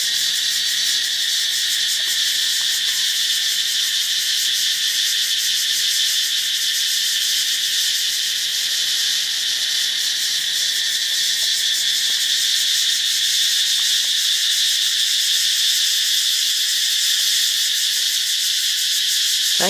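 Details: Katydid noise recorded in Thailand, a dense continuous shrill buzz sustained for the whole stretch with slight rapid pulsing in its texture, steady in loudness, no other sounds standing out.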